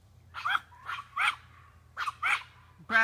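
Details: Brodie the Chihuahua yapping at a doe that holds her ground and stomps; loud, bright, ringing barks in two clusters of three and two, ending with a person's voice beginning to call.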